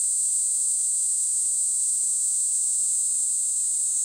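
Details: Kaempfer cicada singing a continuous, shrill, very high-pitched buzz that holds steady without pause throughout.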